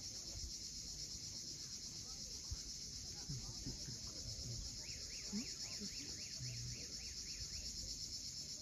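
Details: Cicadas at sunset on the rocky coast of Cape Fiolent, Crimea, sustaining a bright unbroken hiss, while a bird adds a quick run of about a dozen rapid chirping notes over the final seconds.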